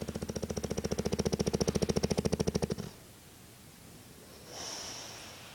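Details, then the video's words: Sleeping bulldog Meathead, around 90 pounds, with a rapid buzzing snore made of evenly repeated rattling pulses for nearly three seconds, breaking off into near silence and a faint soft hiss. "the worlds loudest snoring dog"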